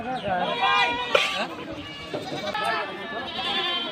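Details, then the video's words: Goats at the Dhulauri goat market, the largest in North Bengal: wavering, nasal bleats rise over a dense murmur of human voices, with several animals overlapping in the crowded outdoor market. "ধুলাউড়ী উত্তর বঙ্গের সবচেয়ে বড় ছাগল এর হাট।"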